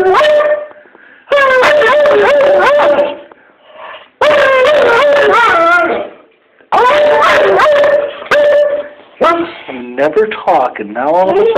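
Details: Shayna, a female dog almost 11 years old who rarely barks, howls back and forth with a person in a howling contest indoors, recorded 12Sept12: wavering, sliding tones with yips in bursts separated by short pauses.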